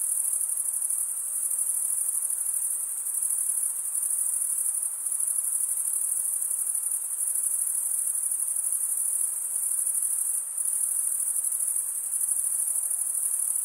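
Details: Crickets stridulating, males rubbing wing edge over toothed wing vein; constant piercing high-pitched trilling, with a few brief softer moments, otherwise uniform and free of other sounds.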